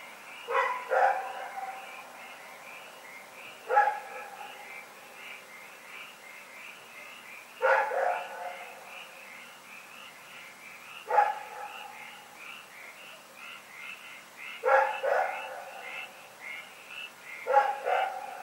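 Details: Rex, a dog, barking in the night, recorded February 27, 2018: six bouts of sharp, harsh barks, some doubled, spaced roughly every three to four seconds, over a faint steady warbling tone in the background.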